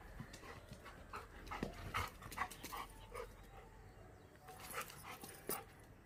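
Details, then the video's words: Running Labrador Retriever, Mr Honey, with quick, irregular breathy puffs and short rasping bursts, more than two a second, mixed with scattered sharp clicking noises. "Best running video of Labrador"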